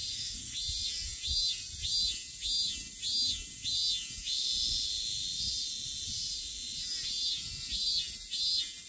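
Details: Minminzemi, the Robust cicada of Japan, found in nature, gives a long run of shrill buzzy pulses, each swelling and fading, nearly two per second, with a short pause before the series resumes.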